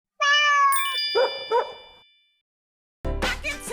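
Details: Domestic cat from a pair of house cats kept apart by a pet gate for nine months, who fight whenever they meet. One drawn-out, steady meow lasts about two seconds, overlaid by a bright chime and short thuds, then a burst of noisy sound.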